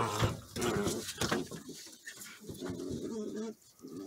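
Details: Border Collie puppies in a play fight, with rough throaty growling in two long stretches, broken by sharp scuffling noises and a short pause near the end.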